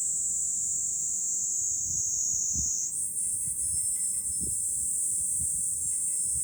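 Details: Cicadas singing in July on a hilltop overlooking Fukuoka city, Japan: a dense, unbroken high-pitched shrill that steps up in pitch midway, with faint wind-chime tinkles and a low wind rumble underneath.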